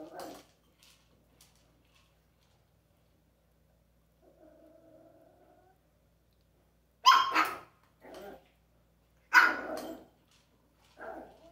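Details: Dog with an interactive toy, giving two loud sharp barks about two seconds apart, each followed by a shorter yelp, with a faint whine before them and quiet gaps between.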